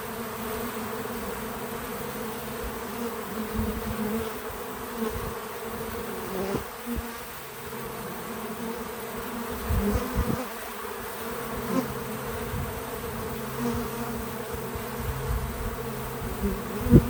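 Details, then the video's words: Pollinating bees crowd a feeder outdoors on a small farm, filling the air with a continuous low hum. Occasional nearer buzzes rise and fade, with quick fly-bys around six and ten seconds. No talking or music. "Relaxing Bees at the Feeder 🐝 | Natural Buzzing Sounds"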